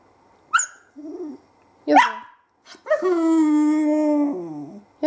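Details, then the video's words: Female whippet puppy, 20 weeks old, talking: short yelps and a rising whine, then a long, steady, tonal howl-like moan lasting over a second that dips lower at its end, followed by a brief yip. "Talking Whippet"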